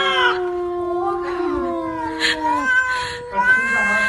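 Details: Domestic cat from a humorous compilation producing a long, wavering, yowling call with rich harmonics, sliding slowly downward, then breaking into further drawn-out wails with brief breathy bursts between them.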